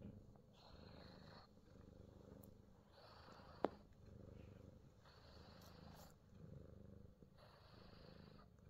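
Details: A Himalayan Persian cat in New Zealand is massaged all over, giving a quiet low purring rumble beneath repeated bursts of hand-on-fur rubbing and a single sharp click midway.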